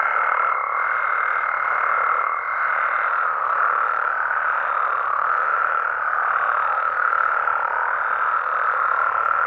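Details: Mexican frogs and toads at night in their natural environment, many voices croaking together in a continuous mass; a thin steady high tone sounds over the first three seconds, then fades out.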